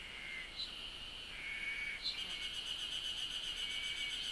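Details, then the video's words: Japanese cicadas chirping: sustained shrill buzzing tone, a couple of brief bright chirps early on, then a rapidly throbbing pulsed buzz layered over the drone for the rest. "the chirping of cicada is beautiful"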